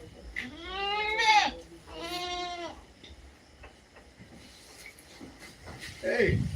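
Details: A native goat gives two quavering, strongly tonal bleats about a second apart. Men then talk and shout nearby.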